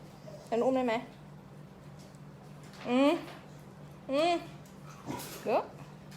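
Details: Several Pembroke Welsh Corgi puppies at a kennel farm in Om Noi, Samut Sakhon, Thailand, give four short, high, whining yelps that bend upward in pitch, spaced about a second apart, over a steady low electrical hum.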